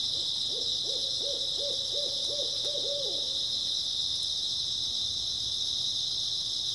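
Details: On an early autumn night, grass insects keep up a steady high-pitched buzzing chorus; in the first half a row of about eight low, regular hoots sounds over it before fading out.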